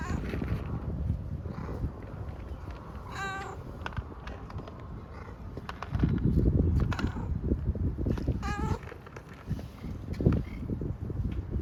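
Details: Grey furry homeless stray cat on an Istanbul street, meowing because it is hungry; two drawn-out, wavering meows near three and eight and a half seconds, set against low street rumble and rustling.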